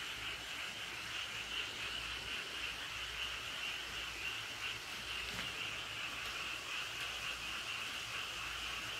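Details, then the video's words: Frog families chorusing in the Cheonjinam valley at Toechon, beside a road: a dense, steady mass of overlapping high trilling calls forms an unbroken wall of sound for the whole stretch, with a faint low hum beneath. "개구리 가족들 합창소리"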